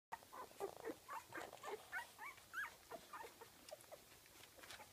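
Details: Kooikerhondje puppies, 15 days old, from a kennel in Sweden, making soft high whimpers and squeaks, several overlapping rising and falling little cries in quick succession over faint background hiss.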